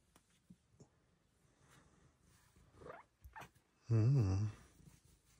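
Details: Indoor morning recording of Luxe, a female Bengal cat, who is excited to be petted on her shelf. After small rustles and brief scratchy sounds, a short warbling chirp rises and falls in quick waves for under a second.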